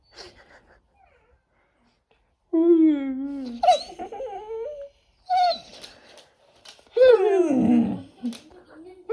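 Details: Labrador Retriever named Pado talking back while arguing with its owner indoors in a small room: drawn-out, wavering moaning vocal bursts that rise and fall, mixed with human speech between them.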